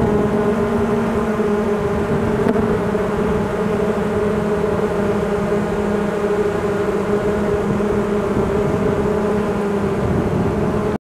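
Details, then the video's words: Beekeeping honeybees swarming as they move in, producing a dense unbroken humming drone with layered harmonic bands, steady in loudness, ending abruptly. "Honeybee swarm moving in"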